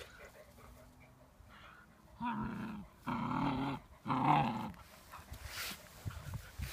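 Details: Puppy Saasi at play with her father, the dog Gladio: three rough, growly bursts, each under a second, in quick succession, deep and throaty with a harsher, higher edge on the last, then quiet rustling.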